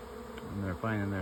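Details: A honey bee swarm moving into two stacked nuc hives in sunshine on 24 May 2025 hums with a low, steady buzz that swells and holds near the end.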